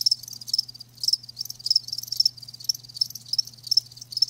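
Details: Live crickets chirping in high, pulsed bursts about twice per second, with softer overlapping chirps between them and a faint low hum beneath.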